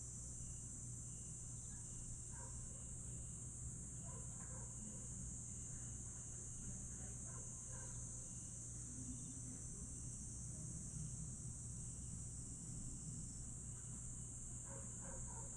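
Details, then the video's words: Night insect chorus in Aewol, Jeju, July 2022: a dense, even high trill holds without pause, over a steady low drone of distant traffic or aircraft and faint scattered ticks. "풀벌레 소리"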